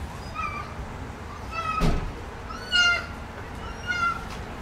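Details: Motherless rescued kittens at play indoors, a high thin meow with stacked harmonics repeated several times, rising and falling, with a sharp knock and soft bumps between calls.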